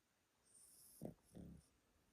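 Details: Yotaro, an elderly Pomeranian kept at a relative's home in Japan, asleep: two brief low rasping breaths about a third of a second apart, the second longer and rougher, over a faint room hush.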